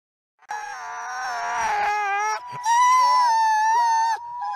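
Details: Alawa, a captive-born female Canadian/Rocky Mountain gray wolf at the Wolf Conservation Center in South Salem, New York, howls up close: long sustained tones with wavering harmonics, one held note, a brief break, then a second steady, slightly higher note.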